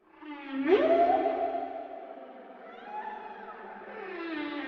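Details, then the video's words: Whale moan with a quick upward sweep into a long, wavering, echoing tone that slowly fades, then swells again softly near the end. "Whale Sounds"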